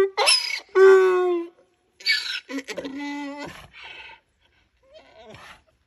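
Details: Miniature donkey braying loudly: harsh harmonic honks in alternating bursts, a long strained tone near the first second, then choppy wheezing pulses and fading squeaky notes.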